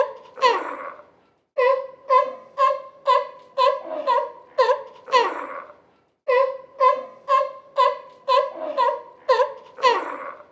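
A sea lion gives rapid, honking barks, about two per second, in two bursts separated by a short pause.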